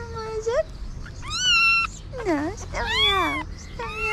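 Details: Kittens and a mother cat, strays fed on a street in Morocco, the kitten calling as the hungry mother looks for food: a run of clear rising and falling meows, some high and thin, some lower and drawn out, over soft background noise and faint voices.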